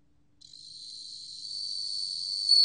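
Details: High, pure, bell-like trilling of a bell cricket, sustained without pause and rising steadily in volume, ending with a short louder ring.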